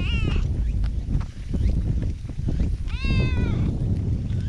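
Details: Black park cat seeking attention from a person, GoPro recording; a short meow at the start and a longer bending meow about three seconds in, amid steady low-pitched rumble and rustle.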